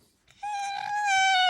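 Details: Alice, a pet red fox kept indoors, complains while being brushed: one long, high, squeaky whine that holds steady, then slowly falls. It has a clean, ringing tone with many overtones.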